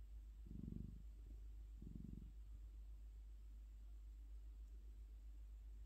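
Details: Sleeping orange domestic cat purring: low rumbling purr bursts near one second and two seconds, then a faint steady low hum.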